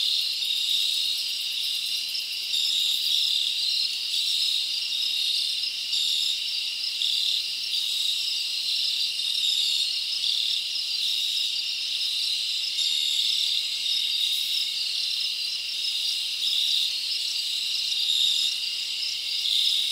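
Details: Chorus of crickets on a summer night in the forest, a continuous shrill buzzing trill with faint pulsing chirps layered over the top, unbroken throughout.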